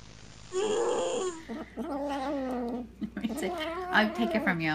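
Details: A cat's weird noises: a low, warbling, throaty yowl held for several seconds, wavering up and down, breaking into choppy, uneven cries toward the end, with a faint high background whine.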